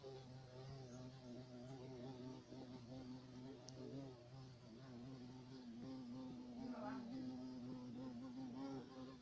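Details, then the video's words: Black carpenter bee of southern Europe humming in a low, sustained drone, pitch rising slightly in the last few seconds, with faint background clicks. "Abejorro negro"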